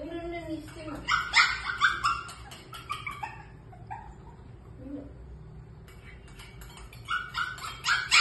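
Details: Shih Tzu puppies at food time, crying out to their mother for food: bursts of high, squeaky yelps and whines in quick clusters, a quieter pause mid-way, then more yelping.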